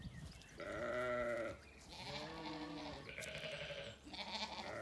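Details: Ewes and lambs in a sunny orchard on an Irish regenerative farm, County Kilkenny; several back-to-back quavering bleats of differing pitch, one lower and steady, others rougher and higher, overlapping one another.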